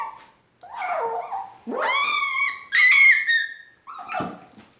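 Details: Pet dog objecting vocally because she thinks her food will be taken away, making fox-like noises: a wavering whine, then two loud high harmonic squealing yelps, ending with a short lower grumble.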